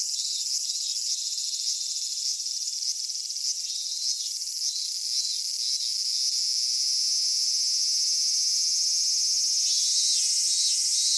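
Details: Cicadas in a Japanese summer at Michinoku Folk Village and Kitakami Tenshochi, Kitakami, from minmin-zemi by day to higurashi at dusk; a dense, shrill, steady buzzing chorus with faint rapid pulsing, unbroken throughout and with no other sounds.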